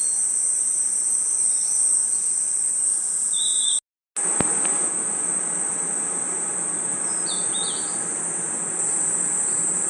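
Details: A dense, high, steady cricket and insect trill fills a nighttime forest, interrupted by a short silent gap near the middle. A few brief whistled chirps sound before and after it.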